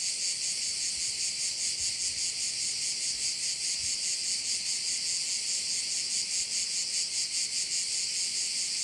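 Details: A steady, high-pitched pulsing drone from crickets by a bay on the Croatian island of Korčula, evenly throbbing throughout with nothing else audible.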